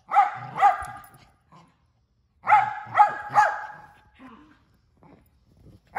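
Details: Male mini Australian Shepherd, a pet dog barking and vocalizing almost nonstop: two sharp barks, a pause, then a quick triple burst of loud, clipped barks with a softer grunt or whine between.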